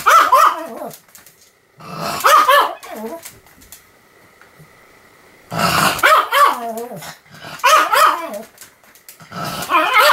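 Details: Continuous barking by Sam the Pomeranian, 7 October 2015: harsh, wavering bark-growl bursts in clusters, with a near-silent stretch in the middle and a faint steady tone.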